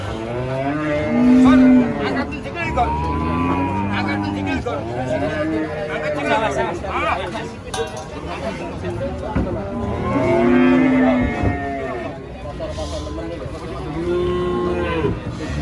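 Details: Huge cow going wild during loading beneath a reputedly haunted tree, bellowing in long, bending moos with rich overtones, one loud call near the middle, over human voices and engine-like drone.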